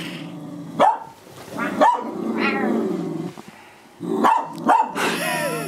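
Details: Pet cocker spaniel confronting her reflection indoors in a living room, barking at the look-alike dog; loud abrupt barks in pairs with short gaps, background music humming underneath throughout.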